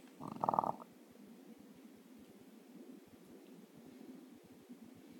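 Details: A French Bulldog sleeping with his bone in his mouth snores as usual, with a short loud snort, then a low steady rumbling breath.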